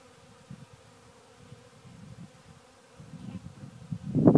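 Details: Honey bees foraging over a sawdust heap keep up a soft, even hum, swelling into a louder, closer rumbling buzz in the final moments.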